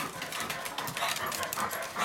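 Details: A blind, diabetic senior pug named Furby gets very worked up at dinnertime, giving a brief, dense burst of loud, breathy panting and snorting with no pauses.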